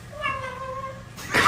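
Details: Domestic cat giving one drawn-out meow lasting about a second, smooth and slightly falling, followed by a loud burst of noise.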